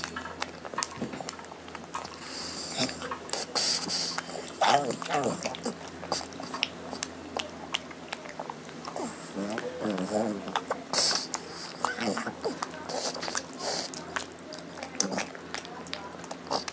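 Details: Lotte, a hungry female pug, eats her meal indoors and makes happy sounds: wet chewing and crunching clicks mixed with short, wavering nasal grunts and moan-like voiced notes near the middle of the clip.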